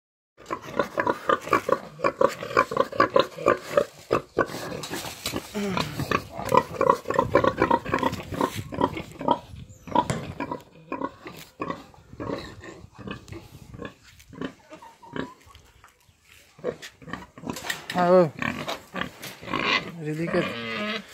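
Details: Romanian-breed pigs, eight months old, described as fast-growing and disease-resistant; dense overlapping grunts and snorts throughout, with shrill squeals near the end and occasional voices in the background.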